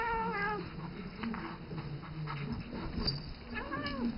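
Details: Isis, a seven-year-old cat who treats three-month-old ferret Rambo as her baby, calls him indoors: a long clear meow opens, scuffling and patter follow, and a shorter rising meow comes at the end.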